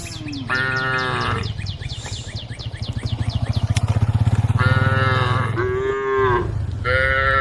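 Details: Group of tame female cows on a road calling the herd. Short moos come in quick succession, several of them rising then falling. A steady low engine-like drone swells midway, and rapid high chirps tick in the background.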